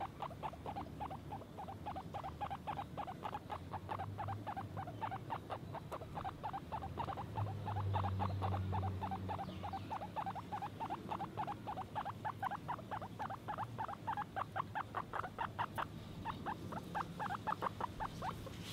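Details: Guinea pig calling in a rapid, steady series of brief clipped pulses, roughly three or four each second, with a low rumble underneath midway.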